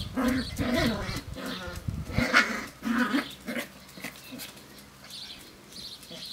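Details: Sealyham Terrier puppies, seven weeks old, playing outdoors on a hot summer day at a kennel; bursts of high yelps and squeaky growls in the first half, then quieter scuffling noises.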